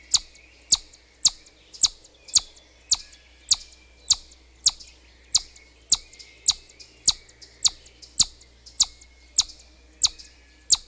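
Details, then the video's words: Chipmunk whistling: sharp, very high chip-like notes repeated about twice per second in a steady series, each a brief bright click-whistle, over a faint low hum. "Бурундук свистит"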